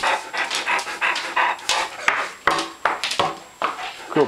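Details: Hungry pet dogs waiting indoors for food that is still soaking; rapid rhythmic panting pulses, about two to three per second, mixed with a person praising and giving commands.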